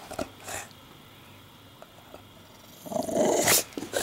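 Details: English Bulldog named Porkchop, indoors nesting in a pile of laundry and objecting to the camera: a faint yap early on, then a long, loud, gruff bark-growl near the end.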